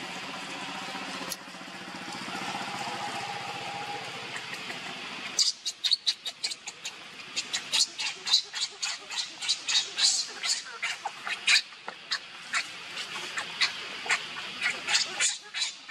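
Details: Hungry baby monkey named Leo crying to beg its mother for milk: after a few seconds of murmur, a long run of sharp, high, piercing squeals comes in quick bursts, about two per second, with short gaps between them.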